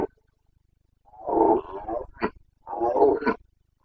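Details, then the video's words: Carpathian red deer stag in Bucovina, Romania, in the September rut, giving two drawn-out hoarse roars about a second long, split by a short gulping grunt, against a silent background. "Boncănit / Carpathian stag Breeding season 29.09.2022"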